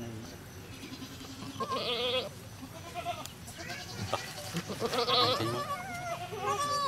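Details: Goat at a cow farm around the time of giving birth to a kid; a few wavering, quavering bleats come through at intervals over low farm background, with Thai speech nearby.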